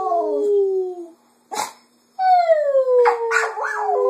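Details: Pet female Cocker Spaniel singing in the afternoon, copying her owners' voices: long smooth howled tones gliding slowly downward, a short breathy snort in the middle, then wavering yodel-like howls.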